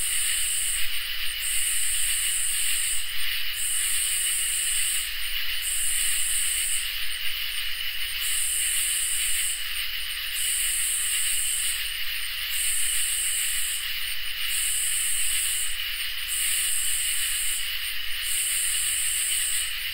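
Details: Night chorus of crickets and katydids in summer: a steady train of about eleven buzzy, sizzling pulses, each shorter than two seconds, rides on continuous high trilling, with faint low rumble throughout.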